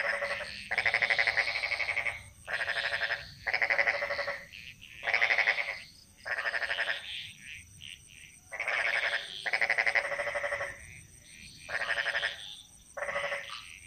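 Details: Jungle frogs of Bali in chorus, trading coarse, rattling, pulsed croaks in repeated bursts roughly every second, overlapping voices building a rhythmic pattern over a constant high-pitched background whine.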